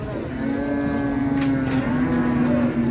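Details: Cattle at the morning livestock market in Ngawi, Indonesia, around 6 a.m.: one long, steady, low moo held for nearly three seconds, ending with a slight dip, amid faint market background noise.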